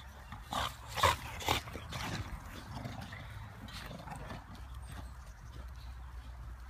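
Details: English Bulldogs at play with a football outside: three short, harsh barks close together in the first two seconds, then quieter scuffling and a constant low background rumble.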